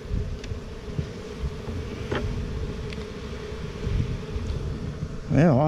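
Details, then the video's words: Honey bees humming at their newest hive, 28 September 2018, a thick steady drone with a few brief knocks, before a man's voice begins at the very end. "Newest Bee Hive, Bees"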